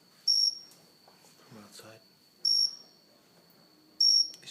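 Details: A cricket on an indoor house plant, recorded close up, gives short, shrill, high chirps every couple of seconds over a faint steady hum.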